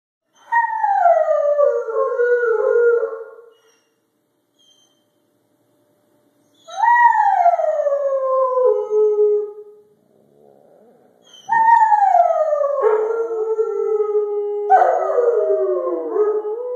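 Rottweilers howl in long, wavering notes that slide downward, with two voices overlapping at the end.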